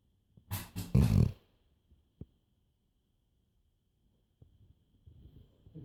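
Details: Sleeping black Labrador Retriever indoors giving one loud, rasping snort-like snore early on, then near silence with a faint click and soft, low breathing returning at the end.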